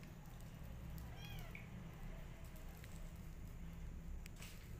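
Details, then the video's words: Orphaned kittens, hungry for milk and rejected by a mother cat, are being bottle fed after rescue. A single short, high, wavering mew rises and falls once near the start, over a steady low hum and faint clicks. "Rescue Orphan Kittens Crying For Milk"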